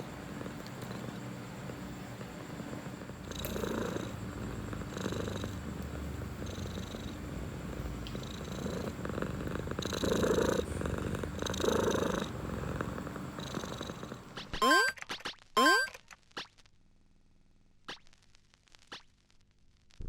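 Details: Domestic cat purring as a low, pulsing rumble for about fourteen seconds, swelling and fading in a slow rhythm, before the purr stops and brief high sweeping squeaks and near quiet follow.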